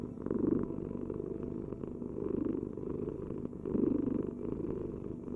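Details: Cat purr: steady low throbbing hum built of quick pulses, rising in loudness in waves about every one and a half seconds, quiet room with nothing else audible.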